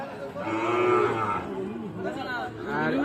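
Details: Sahiwal bull calves for sale at the Ambari cattle market in Tangail in January give a drawn-out, low, harmonic moo, with people talking and faint music in the background.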